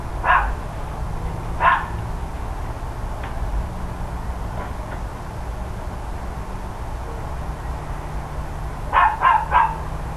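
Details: Neighbours' dogs barking one October 2012 morning near ten o'clock: two spaced single barks, faint distant yaps in between, then a quick run of three barks near the end, beneath continuous low droning background noise.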